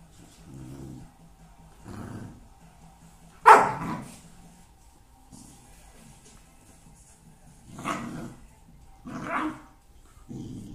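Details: Boerboel pup barking: several short, deep barks spaced a few seconds apart, one sharper louder bark near the start, with quiet pauses between.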